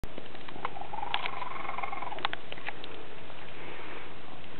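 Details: Domestic cat purring with an unusually strange, growly sound, a steady low rumble throughout with faint clicking patter on top.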